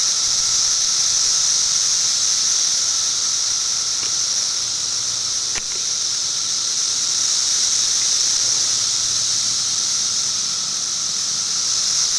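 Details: Periodical cicadas from 2008 footage: continuous high-pitched sizzling drone, even in loudness, a quieter steady hum below it, and a brief click near the middle.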